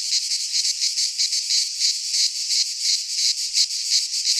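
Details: Cicadas in a midsummer Greek pine forest produce a piercing high buzz that throbs in regular quick waves, roughly three each second, with a faint low rumble underneath.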